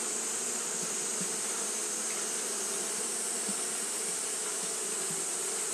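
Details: Japanese honey bees fanning steadily on a hot day: a dense, continuous hum with a low drone band and a bright high hiss, no pauses across the whole stretch.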